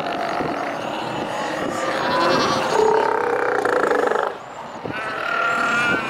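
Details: Northern fur seals (Callorhinus ursinus) at a colony on Dolgaya Rock, Lovushki Islands, Northern Kurils, giving loud harsh bellowing calls with tonal bands, one long call lasting about two seconds, over steady surf noise.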